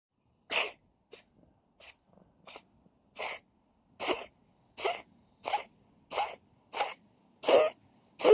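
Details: Oyeng, a cat, coughing in a fast run of harsh, breathy bursts, about eleven in eight seconds, a few faint small puffs early on, then louder evenly spaced hacks, with a quiet low background.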